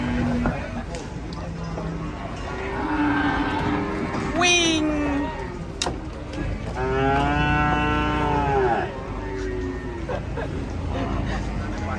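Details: Angry cattle give two loud bellows, a brief rising cry and then a long quavering moo of about two seconds, amid noisy surroundings.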